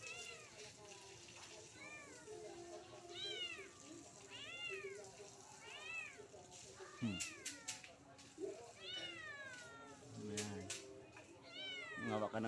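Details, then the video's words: Kitten in a soursop tree meows loudly and persistently, about ten arched meows, some short and some drawn out, mixed with knocks, clicks and rustling. "Kitten Meowing Loudly On The Guyabano Tree"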